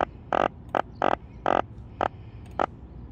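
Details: A freshly caught yellow drum croaks by straining its belly, giving short, rasping croaks in irregular bursts, each a quick rattle of pulses; small drum flapping after capture make this sound.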